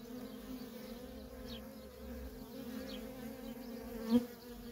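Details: Worker honey bees at a feral colony in nonstop traffic: a steady low droning hum with a higher overtone, holding even throughout, and a single bee passing close near the end for a brief louder whir.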